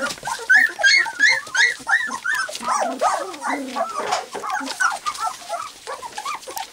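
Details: White English cream golden retriever puppies at three weeks old, walking and playing, try out their barks: rapid, high-pitched yappy barks and squeals from several pups, tumbling over each other almost continuously.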